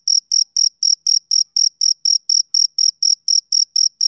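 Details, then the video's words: Shrill, ringing chirps from a male cricket on a summer evening, about sixteen in four seconds, each a short buzzy pulse separated by clean silent gaps. "Cricket Chirping Sound Effect"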